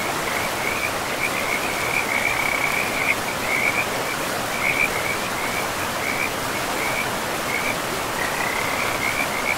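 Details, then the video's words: Forest river frogs calling in short, high, rattling bursts that come and go every second or so, set against a constant broadband wash of flowing water in a pristine, mossy woodland. "River and Frogs sleep sounds"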